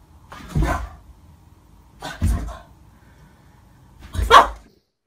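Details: Dog reacting to a mirror, giving three deep barks spaced about every one and a half to two seconds, each a short broadband burst with strong low energy, quiet room between them.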